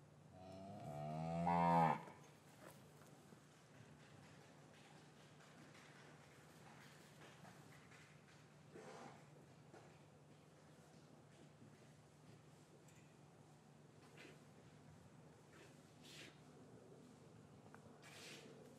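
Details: Gentle lowing from cows in an English cattle yard, winter afternoon, calves kept apart from their mothers: a single strong, harmonic moo swelling over about one and a half seconds, then a long stretch of quiet ambience with a steady low hum and occasional soft knocks.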